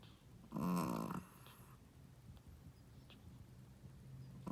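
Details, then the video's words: First-time mother Shih Tzu dog sleeping. She gives a single loud, gravelly snore lasting about half a second, followed by near silence and soft breathing. "How loud does a shih tzu mommy snoring?/ Shih tzu snoring"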